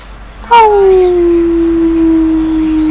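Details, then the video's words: Female pet dog 'talking', a habit her owner can never decode: one sustained tonal howl starting sharply, sliding down and then holding a steady low pitch with clear overtones for over two seconds. "lady talking"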